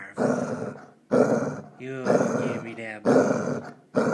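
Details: Female Basset Hound refusing to share her bone, giving low, rough growls in long pulses with a short whining slide between them.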